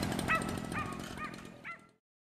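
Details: Afghan Hounds at the unofficial Makkarajuoksut season-finale race in Tampere on 2 October 2016; four short, high, arched yips spaced about half a second apart over a rumbling crowd background.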